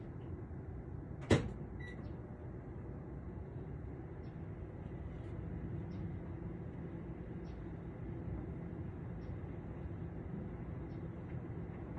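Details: Low rumbling background noise with a single sharp knock or door-like thud, and no animal voice.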